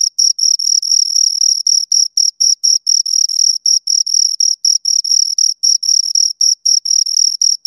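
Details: Loud, close chirping from two crickets: sharp high-pitched pulses running in a fast, fairly regular rhythm, some merging into longer buzzes, with a faint upper overtone throughout.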